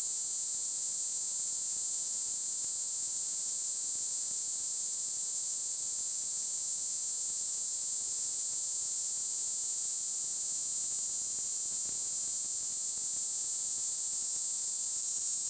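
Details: Unbroken high-pitched droning buzz of a Kaempfer cicada, even in pitch and loudness from start to finish.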